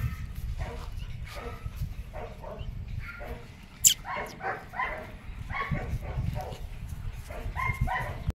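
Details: Young female German Shepherd barking in short, repeated bursts, several clustered in the second half, with people talking nearby and a steady low rumbling background throughout.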